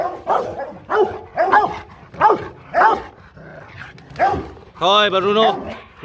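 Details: Family guard Rottweilers called Loky and Bruno give a series of deep, evenly spaced barks for about three seconds, then a person's scolding voice takes over.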